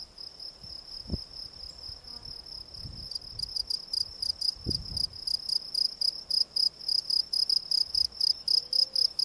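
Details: Gryllus campestris, the field cricket, gives a shrill continuous trill that breaks into loud, clearly separated chirps of about four a second in the second half, with a few soft thumps and handling noises at low pitch.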